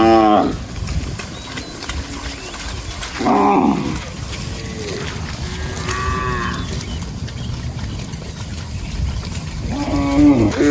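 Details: A herd of cows wandering and grazing across a rice field, lowing repeatedly: four drawn-out harmonic moos spaced a few seconds apart, some falling in pitch, against low outdoor background noise.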